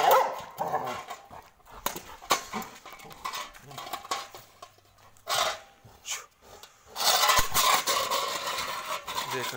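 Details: Gabbar, a pet Labrador Retriever, barking while described as getting angry; short barks come in bursts amid a man's Hindi speech, with background music and loud rustling near the end.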